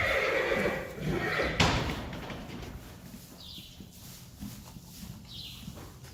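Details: Friesian horse, a mare kept with her newborn filly, recorded March 2020; a strong tonal whinny opens the first second and a half, ending in a thud, followed by faint rustling and short distant squeaks.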